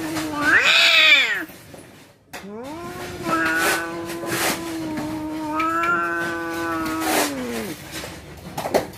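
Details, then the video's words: Domestic cats about to fight: a long, drawn-out yowling wail, with a rising-falling howl near the start, then a sustained low moaning tone held for about five seconds with wavering overtones, ending abruptly, with faint background noise. "Detik detik kucing mau berantem suara full"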